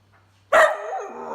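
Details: Whippet giving a single sharp bark, bright and harmonic, trailing off into a drawn-out, wavering half-second tail before quiet returns.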